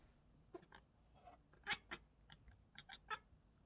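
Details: Indoor cat making a strange sound on seeing a bird: a quick run of clipped chirps and chattering clicks, about a dozen in under four seconds.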